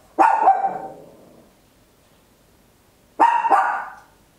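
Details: Tiny Papillon giving very loud barks at home, recorded on an Olympus LS-11: two sharp double barks, each a quick yap-yap with a ringing tail, about three seconds apart.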